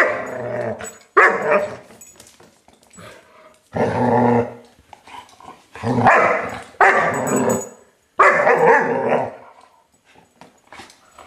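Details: German Shepherd puppy named Colonel Klink, five months old, playing with a new toy: bursts of throaty growls and gruff barks in about six rough bouts, separated by short quiet gaps with small clicks and rustles.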